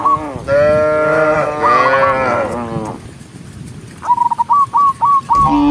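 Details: A cow herd on a forest road; one long, steady, deep moo lasting about three seconds, then a run of five short high chirping notes and another moo starting.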